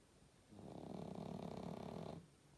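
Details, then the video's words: A pug snores in its sleep, producing a single drawn-out, buzzing, throaty rattle of roughly one and a half seconds against near silence. "Как храпит мопс"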